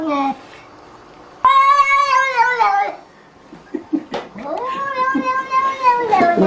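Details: Cat letting out a sustained wavering yowl that dips toward its end, followed by clicks and rustling, then a second long rising-and-falling wail.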